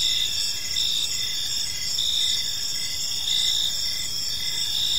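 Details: Gentle chirping of crickets in a serene park as evening falls, high steady trills overlapping with brief repeated chirps at a slow, uneven pace.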